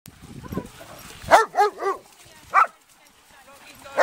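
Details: German Shepherds playing in the sea with friends: a short burst of three quick, harmonic barks, then one more sharp bark a second later, over low murmuring and faint background noise.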